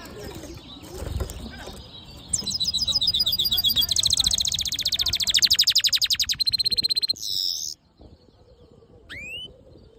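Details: Song of a black-hooded yellow siskin mule: soft background noise, then a loud, sustained high buzzy trill of very rapid repeated notes for about five seconds, a short harsh burst, and one rising whistle.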